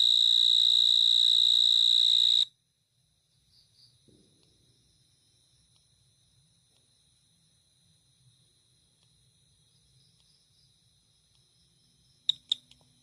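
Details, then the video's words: Cricket chirping: a loud, steady, shrill high trill for about two seconds that cuts off abruptly, leaving near silence with a faint thin high tone and a few brief sharp chirps near the end. "cricket chirping sound"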